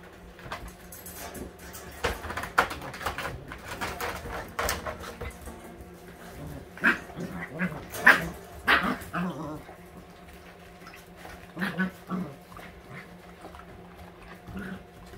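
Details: All-white Husky puppies, eight weeks old, at playtime indoors: short, sharp yips and small barks burst out irregularly, clustered in the middle, with human speech and faint music in the background.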